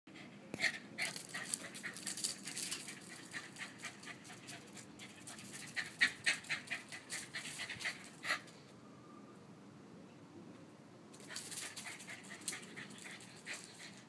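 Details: Scooter, a five-year-old West Highland White Terrier, running around a pool and acting like a puppy; quick, rhythmic breathy panting bursts, paused for a few seconds in the middle, then resuming.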